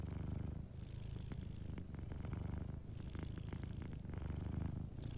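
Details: A cat asleep by the fire purrs in a continuous low rumble, pulsing gently with its breathing, while faint fireplace crackles tick in the background.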